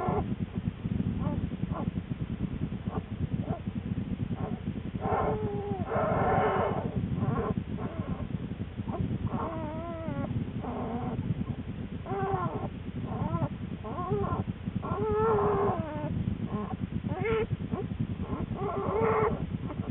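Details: Lily, a female American black bear in her winter den shortly before the birth of her two cubs, on January 13, 2013; short harmonic moans and grunts rise and fall over a steady low rumble, with rustling of bedding.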